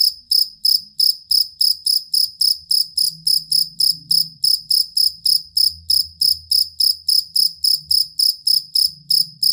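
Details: Cricket, called jangkrik kalung or fighting cricket, offered as a tutor sound for competition songbirds: high, pulsed chirps repeated steadily about three to four times a second throughout, with a faint low rumble underneath.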